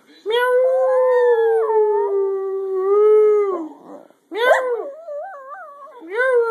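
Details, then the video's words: Singing pet dog giving a long level howl of nearly four seconds, then a sharp yelp followed by a warbling, wobbling note and another howl starting. "The singing Dog"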